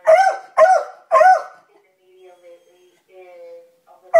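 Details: Three loud, evenly spaced barks from the beagle Libby as she watches dogs across the street, followed by quiet low whimpers and the start of another bark.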